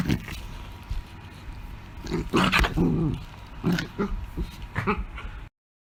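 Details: An angry beagle named Luna growls and gives short, throaty barks in bursts, with a low rumble between them.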